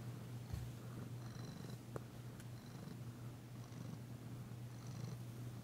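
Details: Danci, a tentative female cat, purring while being massaged indoors, her first purr since arriving. A steady low hum runs throughout, with faint rustles and small soft clicks of handling.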